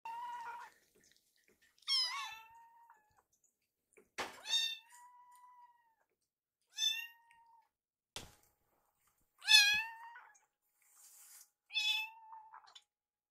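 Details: Two rescued foster kittens, Yuki and Piyo, begging for food while following their caretaker around the kitchen as wet food is warmed; high, harmonic meows with falling tails repeat every couple of seconds in a quiet indoor room, with a few clicks.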